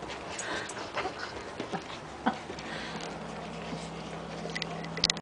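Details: German Shorthaired Pointer puppies in a litter, feeding alongside their mother during a feeding frenzy. Soft, brief whimpers and suckling noises come over a steady low hum, with a few sharper squeaks near the end.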